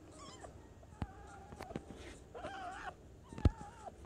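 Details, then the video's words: Pet fennec fox named Ari, upset by the vacuum: thin wavering whines and a drawn-out bending squeal over a constant low motor drone, with a few sharp knocks. "Fennec Fox thinks Vacuums Suck"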